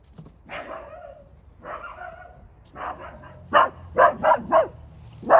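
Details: Mini Dachshund outdoors during a ball-chasing game with Daisy, Charlie and Lucy, Charlie being the barker: softer drawn-out woofs at first, then a run of loud, evenly spaced sharp barks, about three per second, ending with one more bark.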